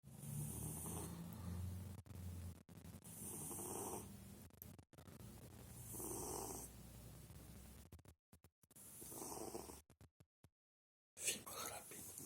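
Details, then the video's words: Efim, a cat, snoring while napping after treats: soft breathy snores in long rhythmic swells about every two seconds, broken by brief clicks and a short silent gap. "Котэ храпит"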